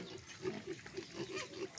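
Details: Native pigs on a Filipino farm, kept for breeding with attention to pregnant sows; low grunts repeat about every quarter second, with faint background noise.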